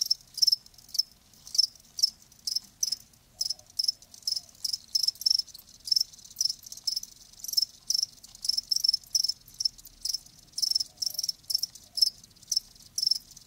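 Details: Crickets give a quick run of bright, high-pitched chirps, about three a second and sometimes overlapping, keeping an even, insistent beat over a quiet background.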